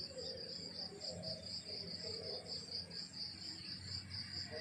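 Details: Crickets chirping on a countryside morning: a steady high pulsing trill of rapid, evenly spaced pulses runs throughout, over soft low rural background sounds.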